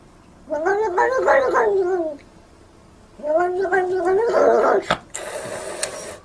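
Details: Domestic cat giving two long, warbling meows that rise and fall in pitch, followed by a sharp click and a burst of hissy noise.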